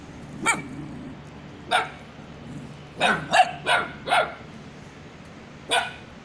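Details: White little puppy barking in January 2021: about seven short, sharp yaps in irregular bursts, a quick cluster of four in the middle, with quiet room hum between.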